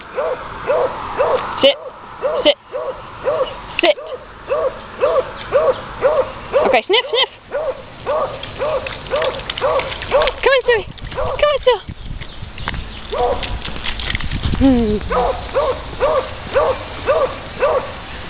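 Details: Muddy female puppy outdoors, barking in a steady run of short, arched, mid-pitched barks almost twice a second; a person's voice breaks in partway through and again near the end.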